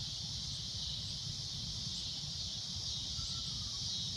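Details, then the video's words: At sunset, a cicada's loud shrill drone runs on without pause, high and even, while a faint short whistle-like note and a low rumble sit in the background. "Cicada A Loud Shrill Droning Noise"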